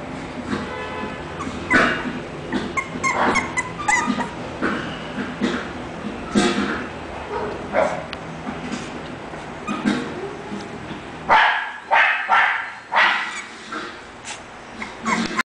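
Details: English Bulldog from a breeding kennel making a rapid series of short yips and whimpering barks, irregular and bursty, over faint background music.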